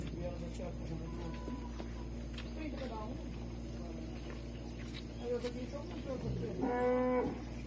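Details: Cattle in a corral at a small farm near Resplendor, Minas Gerais, Brazil, on the morning of 1 March 2020, during hand milking of the cows Londrina and Tombadinha with calves suckling; a short, low, harmonic moo near the end over steady rural background noise.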